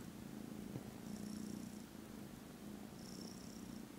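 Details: Foster kittens snoozing contentedly after lunch, 18th December, purr in a low, even buzz that swells and eases with each breath, about two seconds apart.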